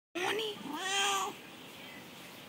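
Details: Domestic cat meowing indoors: a short rising-falling meow followed by a longer, louder drawn-out meow with a bright harmonic tone, then quiet room noise.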